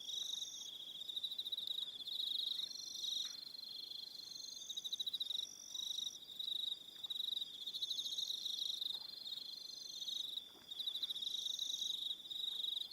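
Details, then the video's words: Many crickets calling at evening on Aroha Island, New Zealand, their shrill pulsed trills running in overlapping bursts with higher rasping phrases and brief dips, plus faint soft ticks underneath. "1 Hour Relaxing Evening Sound of Crickets"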